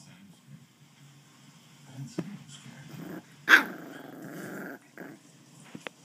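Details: West Highland White Terrier puppy growling while playing with a person: low rumbling growls build up, broken by one sharp loud yelp near the middle, then a steadier growl and a few faint clicks.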